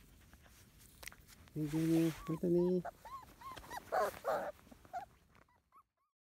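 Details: Field-type Labrador Retriever puppies aged 31 days play on a lawn, letting out low grumbling yelps followed by thin arched whimpers, with a human voice and outdoor background noise mixed in.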